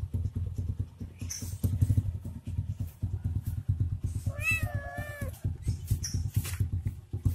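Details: Cat playing with a stick gives one drawn-out, wavering meow midway through, above a steady low, rapidly pulsing rumble that runs throughout, with brief high squeaky notes near the start and end.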